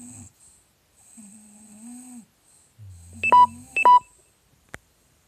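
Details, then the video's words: Snoring English Bulldog, part of a snoring contest, giving short whistling nasal snores with gaps between breaths, and two sharp bright tones near the end. "Bulldog anglais combat de ronflements"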